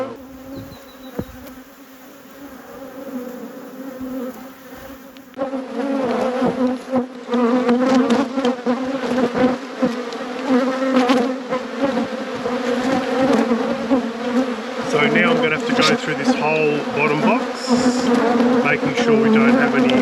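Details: Buzzing of honey bees in a beekeeper's apiary: a softer hum for about five seconds, then a sudden swell into a loud, dense, continuous drone as many bees fly close, with whining fly-bys near the end.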